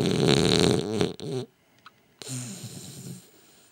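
A French Bulldog snores in loud, low, rasping rattles with a brief quiet pause between breaths.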